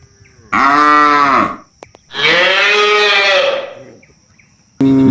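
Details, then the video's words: A tame cattle herd roaming rice fields searching for grass: two loud, bright, rasping moos with a steady high whine behind them, separated by silence, and a third moo beginning. "Suara Sapi Jinak Di Persawahan"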